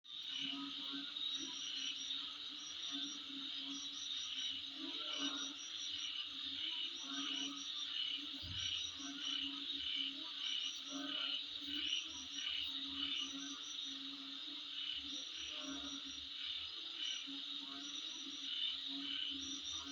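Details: Insect. High, shimmering insect calls blend into a continuous droning chorus, with pulsing trills layered over one another. A faint low hum sits beneath the insects throughout.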